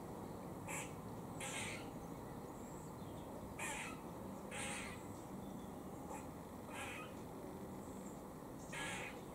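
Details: Warning noise from a squirrel feeding in Cambridge, UK, 17 October 2020: rasping, chuffing bursts spaced about a second apart, some doubled, over a constant low rumble of background noise.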